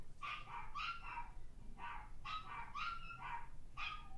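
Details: A Toy Fox Terrier gives quick, high-pitched yapping barks in rapid bursts while listening to recorded barking dogs on YouTube.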